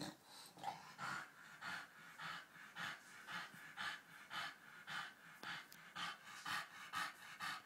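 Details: Phoebe the British Bulldog, playing with a cow in Australia, panting hard in a steady rhythm of about two breaths per second, each a raspy wheezing huff, with a faint growl early on.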